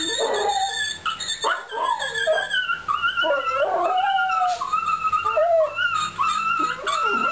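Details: A "singing" Fox Terrier howls in a wavering, sliding series of whines and yips.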